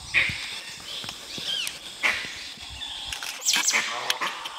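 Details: Dhole in Nagarahole National Park, trying to hunt a tiger: short, high, whistle-like notes, some arching up and down, given in irregular bursts about every one to two seconds over a steady hiss of background noise.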